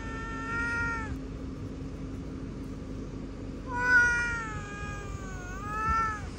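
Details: Domestic cat giving two drawn-out meows, the first about a second long and the second longer with a wavering, falling end, separated by a quiet pause, with faint background hum.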